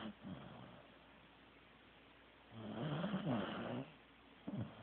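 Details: Teddy, a sleeping Corgi, gives one long, rough snore in the middle, a low harmonic rasp lasting over a second. A brief snort comes near the start and a short one at the end, with quiet room hush between.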